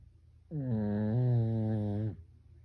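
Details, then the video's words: Sleeping Pekingese kept as a house dog, its snore described as human-like; a single sustained buzzing drone lasting roughly one and a half seconds, swelling slightly midway before cutting off, with only faint room hush around it. "우리집 강아지 코고는 소리 ASMR / 페키니즈 / 사람 코골듯이 고는"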